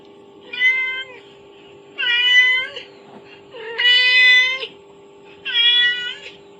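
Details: A kitten responds to the recorded call of its mother played on a phone. Four loud, clear meows, each about a second long, repeat roughly every one and a half seconds above a constant background hum.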